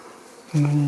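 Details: Wild bees from a large colony living about four metres above ground in a fir trunk. After half a second of quiet comes a steady, low, droning hum with an even tone, and faint speech in the background.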